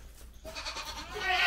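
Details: Black Bengal goats at a village farm during cold weather, some unwell after being fed fresh grass. A strained, wavering bleat rises through a second of hissing background noise and grows louder toward the end.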